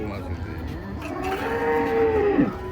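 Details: Giant cattle being unloaded from a truck at a market in Java, Indonesia: a single drawn-out, low tonal moo in the second half, steady then dropping at the end, over crowd chatter and background noise.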